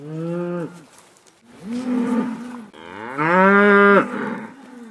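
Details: Cattle on pasture calling: three moos in turn, a short flat one, a lower wavering one, then a louder rising bellow that swells and drops near the end.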